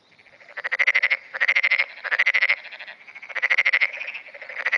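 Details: Black-spotted pond frog in repeated calling at dawn, June 2009, echoing the frogs around it: loud, steady chains of pulsed croaks, about five rattling bursts nearly back to back with barely a pause.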